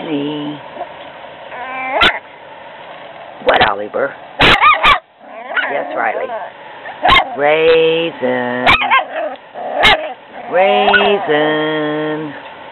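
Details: Puppies playing indoors give high, wavering whines and short yips in scattered bursts, with sharp clicks and knocks between them.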